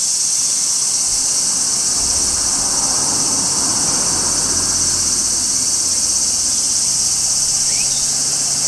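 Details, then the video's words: A tree-perched large brown cicada in midsummer produces a relentless, high, electric-sounding drone, joined by a low steady hum and one brief rising chirp near the end. "Cicadas Singing in Midsummer | Large Brown Cicada"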